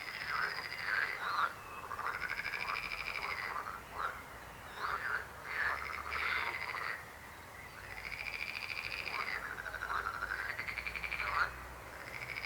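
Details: A chorus of frogs with overlapping rattling, pulsed trills that rise and fall in waves. Short croaking bursts cluster between the longer runs.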